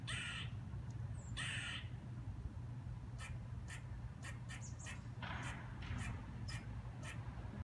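A squirrel gives two long, harsh rasping barks, then a run of short, sharp chucks.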